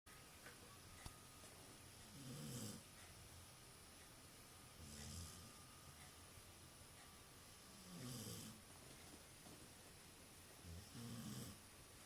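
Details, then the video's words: A dog snoring indoors, recorded on a phone: soft, low, rasping snores every two to three seconds, each with a breathy hiss, over a steady background hum and faint electronic whine. "Dog snoring"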